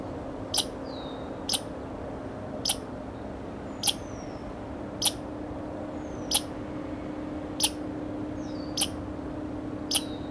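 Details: American red squirrel scolding at Grand Forks, North Dakota, on 01 July 2009: sharp, broadband chip-like notes repeated roughly once a second, about ten in sequence, with faint thin descending whistles between them over a steady low hum.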